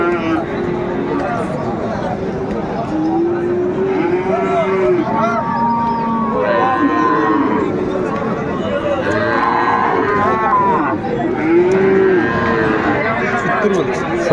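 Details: Friesian and cross-breed bull calves at Raniganj cattle market in Dinajpur, 28 November 2024, giving several overlapping rising-and-falling moos amid steady crowd chatter, bargaining voices and a busy outdoor hubbub.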